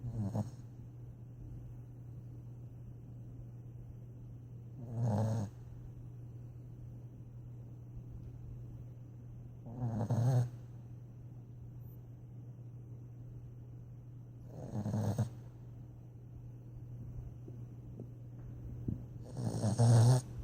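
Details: Sleeping dog snoring, with loud rasping breaths about every five seconds over a steady low hum in the background.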